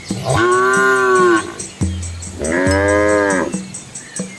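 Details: Village cows and calves walking a quiet road through rice paddies in Asia; two clear, loud, level-pitched moos about a second long, separated by a short pause and a low grunt.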